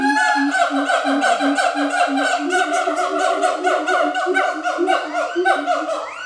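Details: A captive pair of siamang gibbons duetting at Schmutzer Primate Center, Jakarta, Indonesia, on a Friday morning in April 2012; loud, continuous overlapping hoots and rising, wavering calls with rapid repeated notes and swooping upward glides, richly harmonic throughout.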